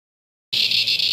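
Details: Cicadas screeching by the millions in their natural environment at Never Never Creek, Promised Land NSW, or Mt Tamborine Qld, Australia: after a moment of silence, a loud, steady, high-pitched buzzing drone begins abruptly, with faint rhythmic pulsing.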